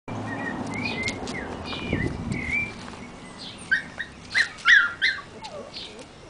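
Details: Black and silver female Miniature Schnauzer puppy giving thin, high whines that glide up and down, then a run of short squeaky yelps in the second half over a low background hum.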